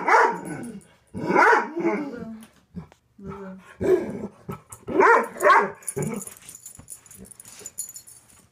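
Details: Frightened Weimaraner barking at a stuffed bunny: loud, harsh barks in uneven clusters, some doubled, with short pauses and a faint high hiss near the end.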